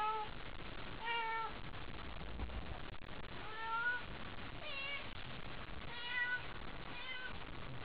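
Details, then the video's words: Excited by a toy during a night gathering, the cat Haiko lets out four or so short, curving meows, softer and irregular, over a constant low background rumble. "おもちゃに興奮して鳴く灰子 Cat excitement"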